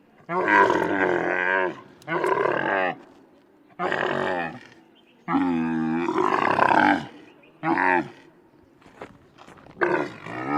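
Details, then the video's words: Grunting camel producing a series of about seven deep, throaty groans, some long and wavering, others short, spaced irregularly over ten seconds, with quiet pauses between. "CAMEL GRUNTING SOUND"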